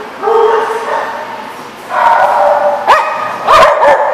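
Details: Dogs at The Barking Lot, recorded 28 April 2014: a drawn-out, tonal whine-like call, then a pause and a second wavering call, followed by two sharp barks near the end against a busy background.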